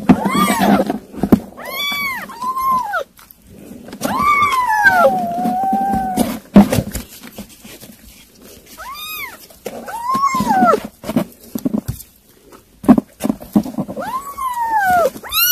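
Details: Several kittens eating weaning food mew repeatedly indoors. The high, bowed cries come in short clusters, one long drawn-out wail among them. A low steady hum and soft clicking eating noises sound in between.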